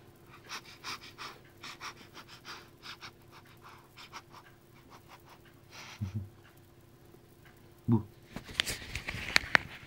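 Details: A new puppy panting in quick, breathy puffs, roughly three per second, then a brief low thump and scratchy rustling toward the end.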